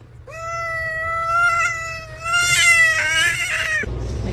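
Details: Domestic cat complaining loudly at its owner: one long drawn-out meow lasting over three seconds, steady at first, then rising and wavering in strength before cutting off, with faint room noise.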